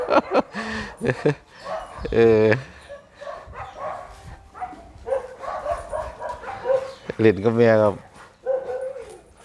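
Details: Red-nose American Pit Bull Terrier mother with puppies: two loud, rising-and-falling yelping calls about five seconds apart stand out above steady conversation and background chatter.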